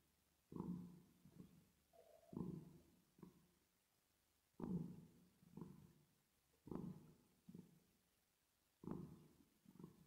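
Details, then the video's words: Resting cat purring with added reverb, deep throaty rumbles arriving in pairs of long and short pulses, each pair roughly two seconds apart, with near silence between them. "10 Minutes Of Cat Purring Sound With Reverb Effect"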